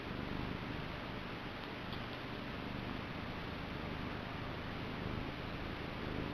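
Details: Niku, a pet male cat, gives a short run of low, steady purring, a dense rhythmic rumble without pauses against a quiet room background.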